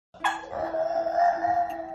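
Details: A female French bulldog, who makes a sound for every emotion, 'sings' with a sustained, wavering howl at a steady mid pitch, seeming to enjoy her own voice.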